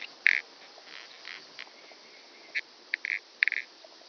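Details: Calliptamus italicus, the common pincer grasshopper, filmed on Pag in Croatia, September 2019; brief dry rasping pulses, one loud burst then scattered short double and triple scrapes, faint hiss between.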